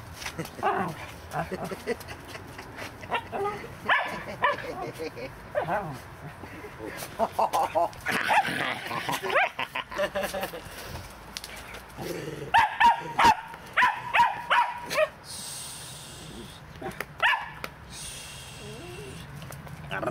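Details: West Highland White Terrier playing in a garden in Denmark, giving short sharp barks and yips in irregular bursts, several clustered quickly together, with human voices talking in the background.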